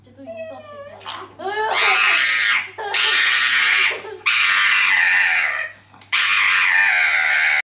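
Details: Pug at the vet in Suzhou, Jiangsu, on October 16, held while its nails are trimmed, squealing loudly; broad shrill screams in sustained bursts of about one to two seconds, broken by short gaps.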